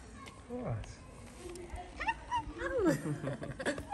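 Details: Tabby cat in Morocco, among street cats being fed, giving several short sweet meows that slide downward in pitch, overlapped by a person speaking softly to it and light handling noises.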